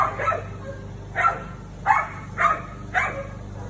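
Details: A female Siberian Husky confronts the neighbour's cat with a fast run of barks, about one every half second, each short and rough, over low hum.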